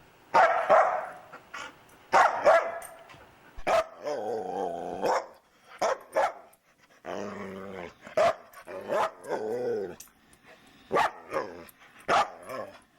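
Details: Talkative foster dog Luca makes a run of short barks and drawn-out, wavering grumbling howls, about a dozen bursts over thirteen seconds, each separated by brief pauses in a quiet indoor setting.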